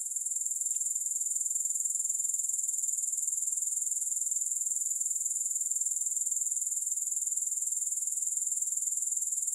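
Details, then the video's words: Unbroken, bright, high-pitched grasshopper chirring with a regular pulse of roughly four beats per second, steady in loudness throughout, alone without music or background noise. "Grass Hopper Sounds"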